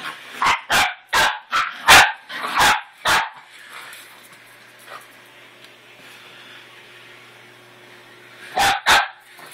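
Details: Scuttle, a male dog, tries to kill his new toy puppy, firing a quick run of about seven barks, then a quiet pause before two more sharp barks.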